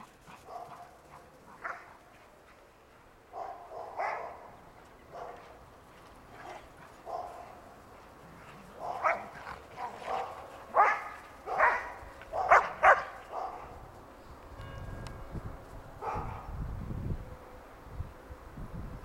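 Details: Old English Sheepdogs playing in a snowy backyard in 2009, including a nine-month-old female with a ball, a hairy male and their nine-year-old mother; scattered short barks and yips, clustering into a louder run of barks midway, with rustling and low handling noise.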